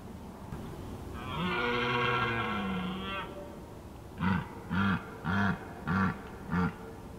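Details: Red deer in the evening during mating season in Skåne, southeast Sweden: one long, deep, drawn-out roar lasting about two seconds, then a series of five short grunting roars about every half second.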